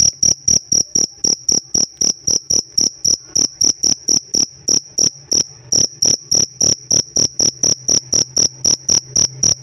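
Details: Cricket kept as a pet, chirping rapidly: dozens of brief piercing tonal pulses in a fast, even rhythm of nearly four per second, with a very slight hitch midway and otherwise nothing else heard.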